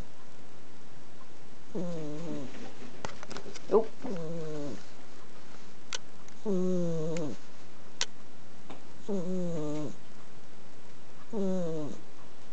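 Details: Sleeping Exotic Shorthair named Penny snoring on a futon beside a person. Five throaty, tonal snores with drooping endings, some doubled, recur every few seconds. A few sharp clicks and small knocks sound in between.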